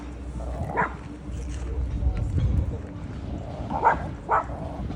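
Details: At Boramae Park's dog playground, a dog gives three scattered barks, one early and a quick pair near the end, while people talk and a low hum runs throughout.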